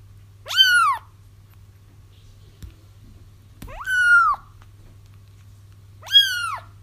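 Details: A kitten cries for its mother, sound for trapping a feral mom cat; three loud, sharply rising then falling mews, spaced about three seconds apart, over a low steady hum.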